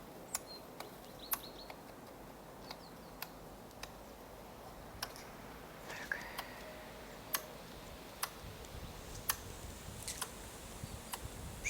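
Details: Squirrel in winter snow, clucking after scolding another squirrel: sharp, dry clicks repeated irregularly, roughly every half second to a second, with faint small-bird chirps in a quiet outdoor setting.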